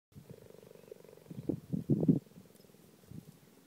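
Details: Pregnant cheetah purring: a steady, low, rapidly pulsing rumble with a few louder throbbing bursts near the middle, then softer again.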